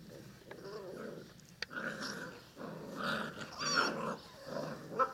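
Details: Six-week-old Cane Corso puppies growling indoors in playful bursts, a harsh low rumble with brief yelping squeaks, rising and falling in short waves over a few seconds.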